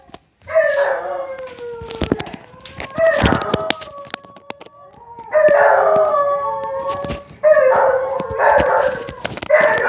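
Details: Dogs making odd vocal sounds: warbling, yodel-like howls in long bursts with harmonics, separated by short pauses, with clicks and knocks throughout.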